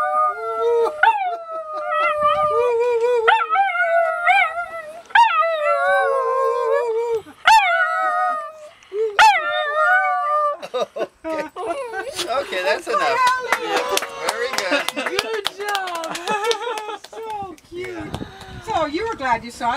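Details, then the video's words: Pair of dogs on a boat near Victoria, BC, on Canada's Pacific coast, joining their owner's howling: repeated short rising wails and yips, then overlapping, wavering howls with rattling background noise. "Собаки поют на яхте в Канаде - Dogs Singing on a Boat"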